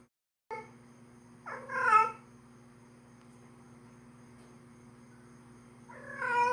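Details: Female domestic cat in heat calling loudly for a male, indoors. Two drawn-out, wavering meows rise and fall, about four seconds apart, over a steady low electrical hum.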